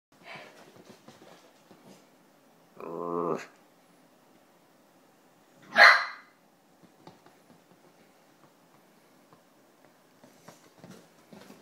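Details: A male Italian Greyhound playing on a lounge with another Italian Greyhound gives a rough, harmonic bark, then a sharper single yap a few seconds later.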